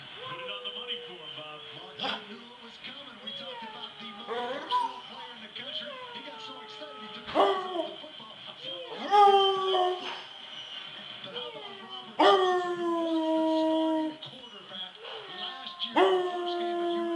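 A Basset Hound lets out drawn-out, falling howls with rich harmonics, answering a person's cat-like meows.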